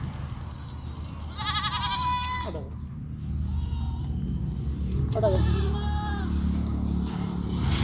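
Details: Sirohi goats on a farm in Pushkar, Rajasthan, letting out two main wavering bleats with fainter ones between them, over a heavy low rumble of background noise.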